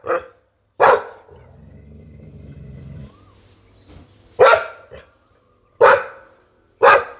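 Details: Single loud, rough barks from a Pit Bull ring out at spaced intervals, separated by quiet gaps and a low steady droning hum in the middle.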